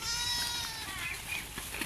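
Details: Garole sheep at feeding time, giving one high, wavering, nasal bleat lasting about a second that fades out, followed by rustling and a person's voice calling.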